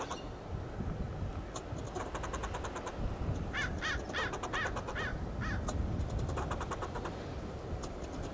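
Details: A fox squirrel on a coast live oak in Del Monte Forest, California, gives a run of harsh, hoarse, scolding alarm barks over a steady low background rumble; fox squirrel.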